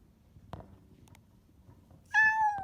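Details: Former stray cat rescued by a shelter: after soft rustling and a faint tap, one loud, drawn-out meow that falls gently in pitch and fills the final half second.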